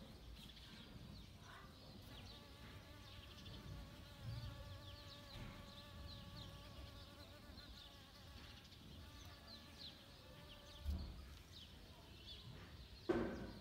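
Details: A honey bee extracting nectar from home-grown saffron flowers in autumn in Kashmir. Its steady droning buzz carries a layered harmonic hum that holds for several seconds, then fades, with faint rustling and a sharp knock near the end.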